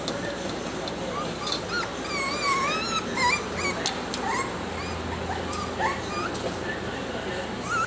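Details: Clingy, affectionate salt-and-pepper Miniature Schnauzer puppy, a little male, whimpering in a stream of high wavering whines that rise and fall, some in quick wobbling runs, over a steady hiss of room noise.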